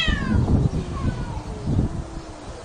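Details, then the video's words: Cat fighting sound: a loud wailing yowl opens high and slides steeply downward through layered harmonics, then trails into a lower, drawn-out descending tone, with rough rumbling noise underneath throughout. "Cat fighting sounds"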